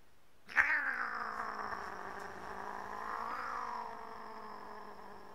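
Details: Domestic cat giving a long drawn-out caterwaul that starts abruptly, holds a steady harmonic-rich tone for about five seconds, then swells slightly and wavers in pitch before trailing off.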